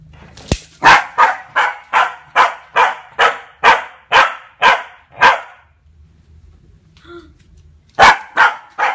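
A Corgi puppy barks rapidly and sharply, several yaps a second, guarding its owner.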